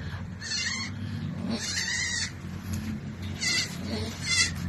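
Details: Goat that struggled through a difficult birth before delivery; several short, nasal, wavering bleats come in bursts at roughly one-second intervals over a low rumbling background.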